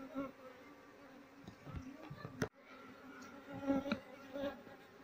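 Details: Asian honey bee colony being moved from a nest inside an active speaker box into a hive box, while the queen is searched for; a steady low hum with a higher overtone, broken by handling clicks and knocks.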